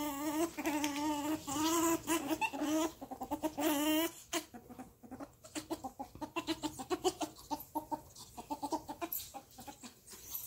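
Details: Pet ferrets Rusty and Jasper squeak and whine while playing, a noise that sounds close to fighting; long wavering whines over the first four seconds, then a fast run of short clicky chuckles and scuffles.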